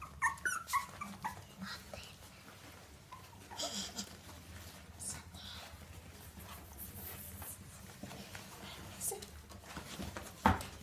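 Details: Basenji puppies aged 17 days give thin, high whimpers and squeaks, with a person talking quietly nearby.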